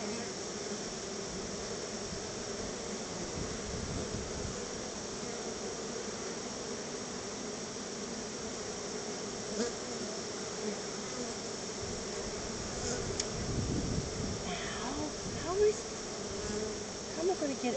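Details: Numerous honey bees at their hive receiving a honey treat from their keeper: a steady, layered buzzing hum, with a few soft thumps and handling noises rising toward the end.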